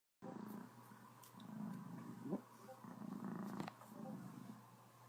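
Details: Happy Cornish Rex cat indoors, purring full-on while having a slight case of the hiccups: a steady low rumbling purr in rolling waves, broken by a couple of short sharp hiccup-like clicks near the middle.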